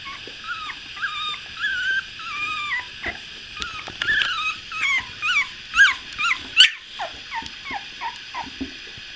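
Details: Two-week-old puppies, eyes newly opened, heard in the morning: a chorus of high, thin whimpers and squeaky yelps, rising and falling in short wavering bursts, overlapping and growing louder and more insistent toward the middle before trailing off.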